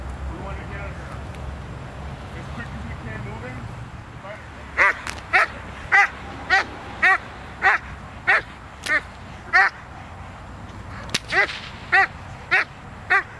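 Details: Zita, a working Doberman Pinscher, in protection training recorded on November 24th, 2009: a man talks for the first few seconds, then about thirteen sharp, powerful barks follow in a steady run, roughly two every second.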